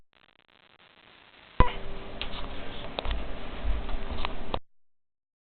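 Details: Ticks and soft knocks in a small room, with a low rumble between about two and four and a half seconds, and no animal voice.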